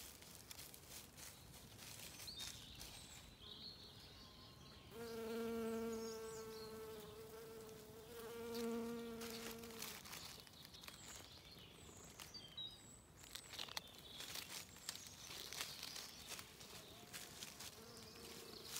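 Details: Bees feeding on wood anemones in spring sunshine in a wood in County Kilkenny, Ireland; a loud, deep, even buzz swells twice as an insect passes close, amid soft rustling, distant birds and crackling twigs.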